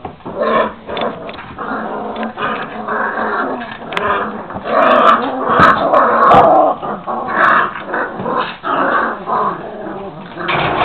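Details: A litter of Šarplaninac puppies, 26 days old, growl and yip continuously while playing, a dense rough chorus of overlapping little voices with occasional clicks and knocks.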